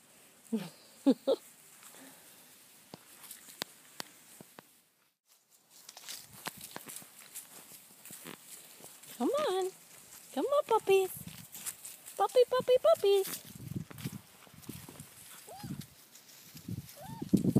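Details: Four-week-old Labrador Retriever puppies from a litter of six, three yellow females, two black females and one yellow male, give short high whines and yelps in bursts while a person calls to them; speech and handling noises throughout.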